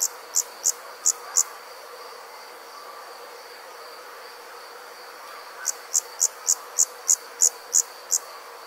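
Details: Summer night insects, likely a cricket: a few high, evenly spaced chirps, a long stretch of quiet background hum, then a faster run of chirps returns.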